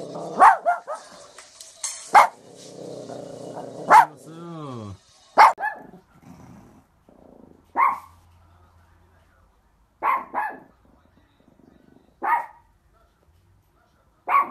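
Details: Dog barking in single loud, sharp barks, sometimes doubled, repeated roughly every two seconds over the whole stretch, with quieter low rumbling and a brief descending whine between barks.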